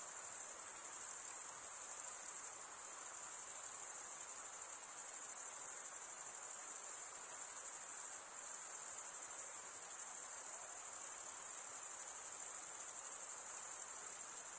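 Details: Steady chorus of chirping crickets, produced by males scraping serrated wing veins, forms an unbroken shrill high ringing with slight dips around the middle and near the start, nothing else audible.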